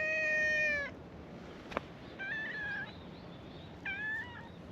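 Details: Stray cats at a cat gathering on a cat island, meowing as a chorus of welcome to a visitor. Three clear harmonic meows: a long steady first call, then two shorter, slightly bending meows about two seconds apart, with a sharp click between.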